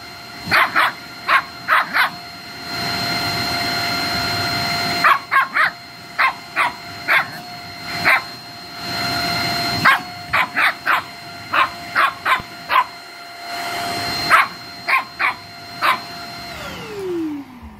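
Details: A Shih Tzu puppy playing with a vacuum cleaner gives short, high yipping barks in irregular bursts of one to three over the vacuum's steady whine, which winds down at the end.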